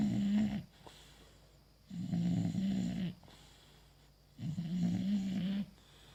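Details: English Bulldog Bogui asleep with a ball held like a pacifier, snoring in three long, low, droning rasps, each lasting about a second and a quarter and spaced roughly two and a half seconds apart, with quiet breathing between them in a small indoor room.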